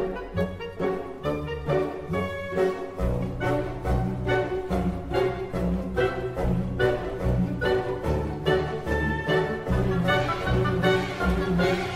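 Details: Loud orchestral string music with a steady pulsing rhythm throughout, and no animal sounds.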